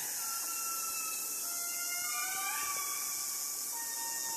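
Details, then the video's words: Chorus of indris in Madagascar. Sustained, mournful wails overlap at several pitches, each gliding slowly up or down and then holding. A dense, constant insect hiss fills the background. "Largest Lemurs in Madagascar, the Indris. Astonishing mesmerising call."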